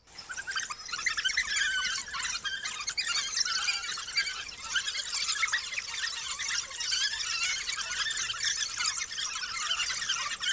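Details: A large pack of African wild dogs (painted wolves) regurgitating food for their 19 pups near Skukuza in Kruger National Park; dense, overlapping high-pitched squeals and twittering from many pups run continuously throughout, with a steady faint hum underneath.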